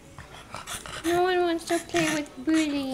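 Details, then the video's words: Leilani, a young bulldog wanting someone to play with, lets out a series of sustained, moaning whines. Four or five drawn-out tonal cries, each with a rich harmonic edge, come in quick succession. "Leilani Wishes for Someone to Play With"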